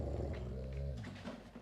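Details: Sulking Alaskan Malamute kept indoors during an April ice storm in Montreal, wanting to go outside; a low, drawn-out moaning grumble lasting about a second, then fading into quiet room noise.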